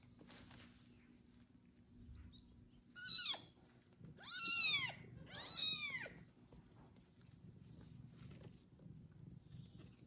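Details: Loud meowing kitten after its first bath, tended and licked by a pregnant foster mother cat indoors; three clear arched, harmonic meows in quick succession, the middle loudest, then quiet room.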